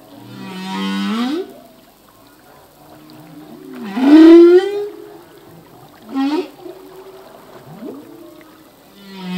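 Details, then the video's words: Humpback whale song sung by a male, its phrases learned anew each year: a groaning sweep, then a strong rising whoop at four seconds, quicker yelps after, and a low moan closing, clean ocean backdrop. "Whale song - full length humpback whale song"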